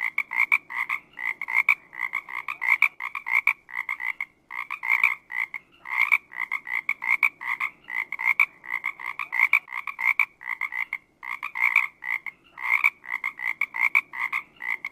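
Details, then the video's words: Steady frog chorus: rapid, pulsing nasal croaks packed closely together, many calls overlapping in a continuous rhythmic stream with no other sounds evident. "BD Frog Documentary"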